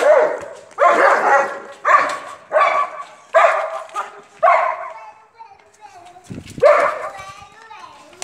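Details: Long-coat German Shepherd offered for sale; a steady run of loud, rough barks about one every 0.7 seconds, a short pause, then a final bark.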